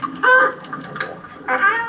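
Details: Wild dolphins, a young male coalition practising chasing another individual in play, give bursts of squeaky, harmonic-rich calls that bend slightly in pitch.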